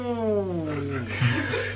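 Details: Talking domestic cat voicing a single long, low meow that starts with rich overtones and sinks steadily in pitch, ending in a rougher, quieter tail, with a constant background hum.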